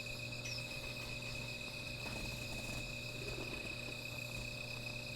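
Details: Night insects near a small fire give a continuous, even high ringing drone that never pauses, layered with faint higher tones and light low background noise.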